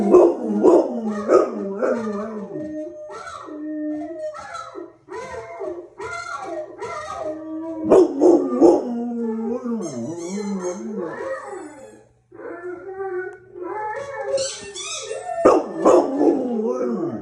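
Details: Pet dog alternating rapid barks with long mid-pitched howls, repeated in several rounds with brief pauses, the howls bending up and down in pitch.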